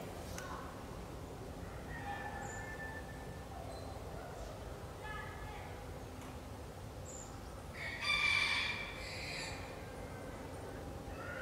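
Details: Northwestern wolf in the Wildfreigehege Nöttler Berg enclosure at Saerbeck: faint, scattered thin whines give way near the end to a brief, loud, harmonic yelping burst. A steady low background hiss runs throughout.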